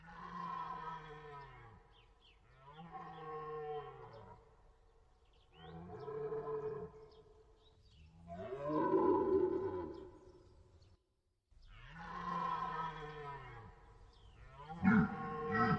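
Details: Deer roaring at some distance: about six drawn-out, groaning bellows at steady intervals. Each is rich in harmonics and slightly falling, with a brief gap of silence before the last ones.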